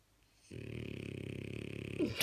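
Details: A blue French Bulldog napping in bed snores with a steady, rattling, low buzz that starts abruptly and holds.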